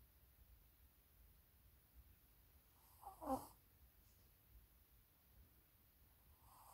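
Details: A Maltese puppy gives a soft, throaty snore, one brief rattling breath in near silence.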